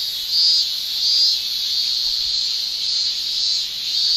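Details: Summer chorus of male Japanese cicadas in Japan, tymbal song as a steady piercing shrill, pulsing louder about every half second to second with brighter accented bursts over the drone.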